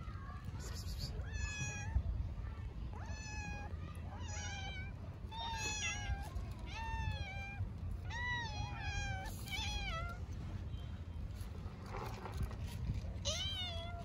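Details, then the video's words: Orphaned stray kitten in Istanbul meows on and on because it is very hungry: a rapid series of about a dozen sharp, high, harmonic meows, roughly one per second, with a woman speaking softly and low background hum. "orphaned kitten meows for a long time because it is very hungry"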